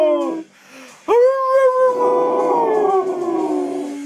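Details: American Staffordshire Terrier, a playful and protective breed, letting out a long, drawn-out howl that rises sharply, holds steady, then slowly slides lower over about three seconds, after a brief higher whine and a short pause.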